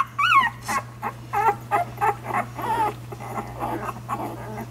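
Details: Week-old puppies while nursing, letting out a loud rising-and-falling whine, then a run of short squeaky whimpers about three to four per second that fade gradually, with a steady low hum underneath.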